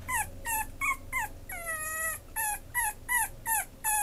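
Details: Loud, pleading whimpers from a merle Chihuahua held by a breeder: clipped, high cries repeated roughly every third of a second, broken by one long, steady whine of about half a second, then the quick yelps resume.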